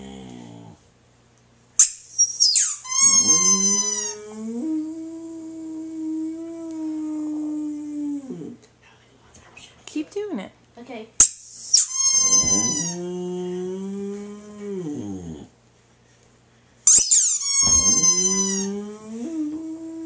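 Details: Boxer dog indoors howling in response to a squeaky toy: three shrill squeaks from the toy, each followed by a long, drawn-out, wavering harmonic howl lasting several seconds, with short quiet gaps between.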